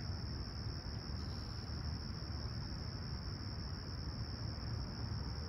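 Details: Summer morning crickets at Humber Bay Shores, Toronto, calm and clear at sunrise on July 28, 2020; one continuous high-pitched trill without pauses, with a heavy low rumble beneath it.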